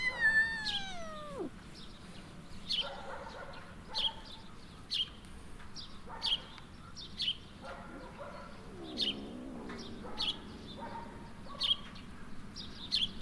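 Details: Kitten, once found on the street and long kept indoors, out walking on the street where even grass seems strange to it; one loud drawn-out meow slides downward at the start, then sharp bird chirps repeat roughly every second over steady outdoor hum.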